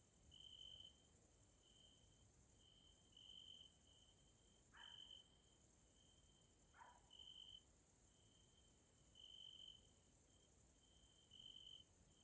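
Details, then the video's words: Grasshoppers in a nature area in Hungary, in the evening, give a steady, high, buzzing trill that swells in short pulsing bursts over a thin shrill chorus. "grasshoppers sounds in nature area Hungary Central Europe"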